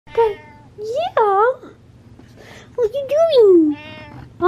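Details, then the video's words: Butters the cat meowing for attention and love: several loud, drawn-out harmonic meows, some rising then falling, some bending upward, spaced across a few seconds, with short gaps of quiet between them. "Pay Attention Meows"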